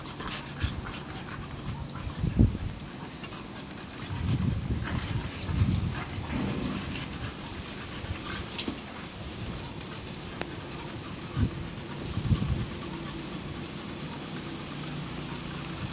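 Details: Boxer dogs Toto and Cherry at play together, pet dogs: scattered bursts of low, rough panting and huffing breaths separated by quieter gaps, with occasional sharp knocks and clicks from their movement.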